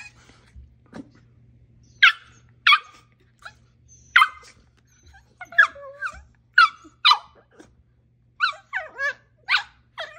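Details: Siberian Husky bitch at play with a dachshund, giving sharp high barks and yips in irregular bursts, some with wavering whiny tails, over a faint low hum.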